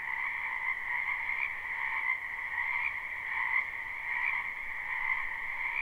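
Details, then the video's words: Frogs croaking en masse in a spring wetland, recorded live: a steady two-band trilling chorus with loosely spaced swells of louder individual calls, roughly eighty a minute, rising above the background din. "Ambient Noise for Sleep Frogs"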